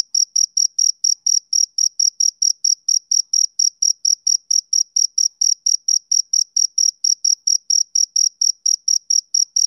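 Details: Male cricket chirping on a summer evening: a clean, high, rhythmic chirp repeated steadily about four times a second with no pauses, nothing else audible behind it.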